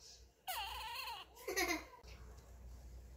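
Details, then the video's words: Kkami, a small female Chihuahua weighing 1.7 kg, whines for what she wants and against losing her doll: a wavering, drawn-out whimper followed by a shorter, higher, strained whine, then silence. "치와와 강아지 앙탈 소리"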